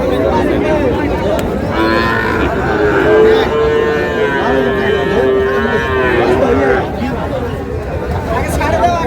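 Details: Sahiwal bull calf at a Chandpur cattle market, 15 May: a long, level, droning moo lasts about four seconds in the middle. Market voices and chatter run throughout.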